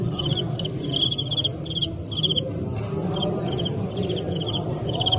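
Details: Fighting crickets give bright, pulsed chirps in quick bursts of several pulses with short gaps, ringing with high overtones, over a low rumbling background with faint murmuring.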